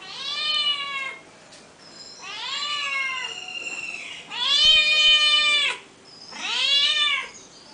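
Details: In a backyard, a female cat that often comes to the house keeps meowing: four loud, rich meows, some rising then falling, the third long and strong, with brief pauses between.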